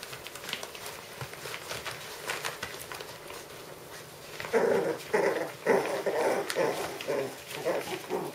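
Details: Puppies aged five weeks, first heard only as faint scuffling and pattering, then bursting into a series of short, rough, mid-pitched growling barks repeated about once a second.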